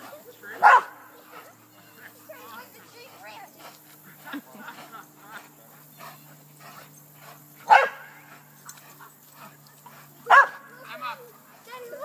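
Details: Dogs playing together at Lloyd Ave. Dog Park and tussling with a tree; three loud, sharp single barks land about seven and then three seconds apart, with people chatting and softer dog noises filling the gaps.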